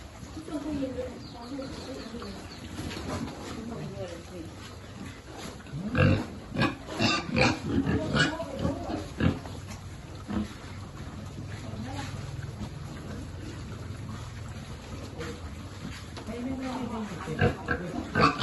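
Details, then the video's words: Pigs on a farm where a group lives, some descended from long-resident animals and some rescued, grunting while piglets are fed; low rumbling grunts with a burst of louder squeals and snorts midway, then quieter grunting. "Feeding lovely piglet"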